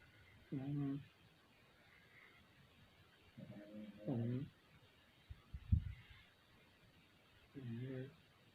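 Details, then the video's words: Two Pekingese dogs snoring loudly, with low, rattling breaths repeating every few seconds. "2 Pekingese snoring loudly... Chewy&Loki"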